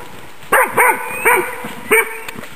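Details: Female Magyar Vizsla hunting dog working wild boar for demonstration; four sharp barks in quick succession within two seconds, over a faint steady high-pitched hum.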